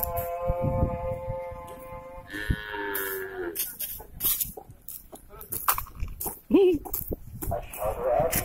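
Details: Beef cattle on transfer from Batu prison to Nusakambangan open prison, Indonesia: a steady two-second moo, then a shorter, lower lowing, followed by knocks, clicks and handling noise.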